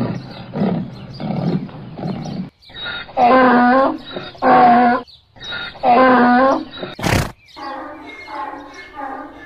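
A donkey brays in loud, rasping bursts that swing between higher and lower harsh tones.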